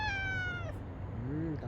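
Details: Single drawn-out cat meow, slightly falling in pitch and ending after about half a second, followed by quiet low murmuring over a steady background hum.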